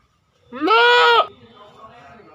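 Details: A goat gives a single loud, wavering bleat lasting under a second, with strong harmonic layers, followed by quiet background rustling.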